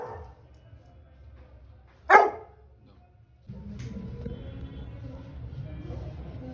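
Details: A black Labrador Retriever gives a single loud, sharp bark, followed by a steady low background rumble.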